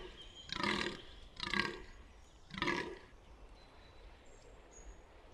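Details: A buck fallow deer at Bolderwood, New Forest, giving three loud, rasping, belching groans roughly one second apart, each short and harsh, with faint birdsong in the background.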